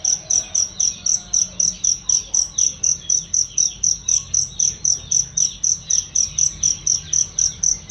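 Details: Cricket sound meant for teaching songbirds: high, ringing chirps, loud and clear, pulse in a steady rhythm near four per second, backed by faint downward-sweeping twitters and a low hum.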